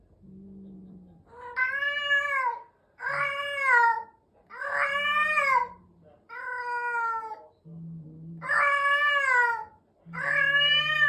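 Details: Adult cat meowing during introduction to another cat at home: about six long, drawn-out meows over eleven seconds, each rising then falling, separated by low steady droning tones between calls.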